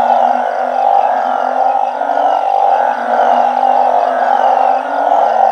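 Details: Many banded bullfrogs, alongside balloon frogs living in a backyard garden in Thailand, chorus through the night. A loud unbroken buzzing hum over a steady low droning tone.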